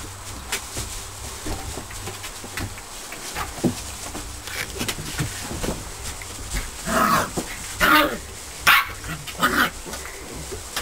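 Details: Border Collie puppies, almost eight weeks old, in a kennel whelping box freshly filled with straw on their last night together; steady straw rustling and scuffling, then a cluster of short, sharp yips and barks in the final seconds.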